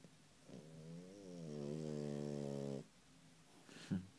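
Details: French Bulldog puppy, female, snoring loudly while asleep: one long droning, buzzy rattle with a steady low tone lasting about two seconds, then quiet, with a brief soft snort near the end.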